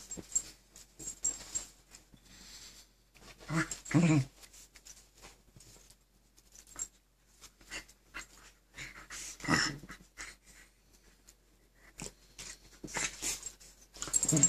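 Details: Two Keeshond dogs tussle indoors for control of the bed. Rough, throaty growling bursts flare near four and nine-and-a-half seconds, with softer snarls and wheezy breaths between and faint scuffling of bedding.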